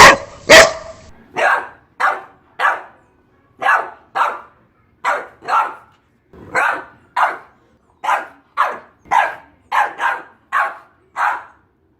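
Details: Boxer dog: one very loud, clipped bark opens, followed by a steady series of about seventeen sharper barks, often paired, coming roughly twice a second in otherwise quiet surroundings.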